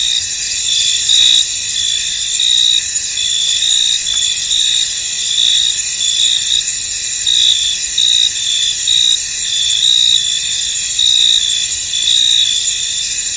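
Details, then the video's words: Field crickets in mist give a thick, high, ringing trill, steady throughout, with faint rhythmic chirp pulses riding on top and nothing else audible. "Tranquil Cricket Sounds In An Misty Field"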